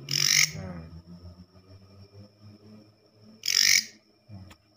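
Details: Night call of a katydid indoors, a sound usually heard in forest: two short, grating rasps about three seconds apart, with a man's low voice murmuring between them.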